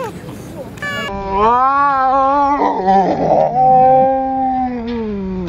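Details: Stray cat in a Russian city during a fight, one long low moaning yowl that swells and wavers, with a brief raspy burst in the middle.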